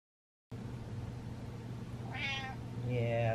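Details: Domestic cat meowing at its owner while he dances indoors: one rising, wavering meow followed by a shorter, flatter meow at the end, over a steady low hum.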